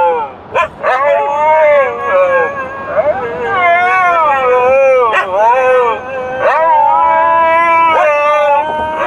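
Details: Dogs on a drive, singing in the car: layered wavering howls with rising and falling pitch, punctuated by short sharp yips, several voices overlapping continuously.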